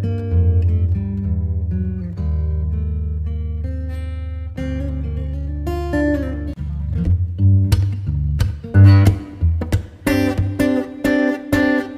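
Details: Acoustic guitar music with plucked notes and strums over a deep bass line, with no animal sound.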